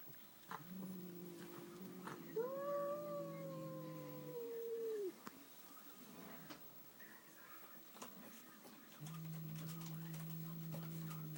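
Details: Pet cat reacting to a newly arrived cat at home with a drawn-out, moaning wail of about two and a half seconds that rises slightly, then drops at the close, amid faint room noise and a low steady hum.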